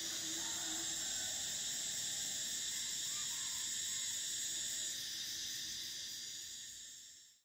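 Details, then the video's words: High, steady shrilling of summer cicadas that softens partway through and fades out at the close, with faint chirps and a soft low note in the background. "Cicadas: the sound of summer"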